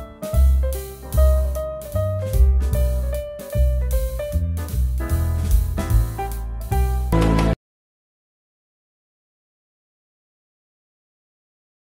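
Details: Jazzy music with drums, piano and guitar plays for about seven seconds, then cuts off to silence; no animal sound is heard.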